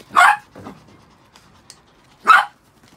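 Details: Pet Chihuahuas, six in the household, just after being shampooed: a loud shrill bark, a softer follow-up yap, then another piercing bark about two seconds later.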